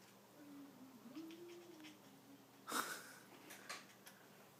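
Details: A domestic cat in a small room makes an odd, low, wavering moan as it tries to coax a string down. The tone dips and rises for about two seconds, followed by a sharp clatter and faint voices.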